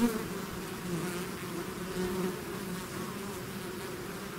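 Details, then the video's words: Continuous droning buzz of a bee swarm out of its hive, a close insect passing loudly at the start before the steady hum resumes. "bees therapy swarm natural buzzing sound"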